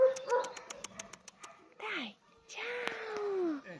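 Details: Arabela, a small female Pinscher born in 2018, 33 cm at the shoulder, waiting for adoption through an Italian animal-welfare rescue, whimpers in thin gliding whines that slide downward. Rapid clicking taps come first, and Italian speech runs alongside.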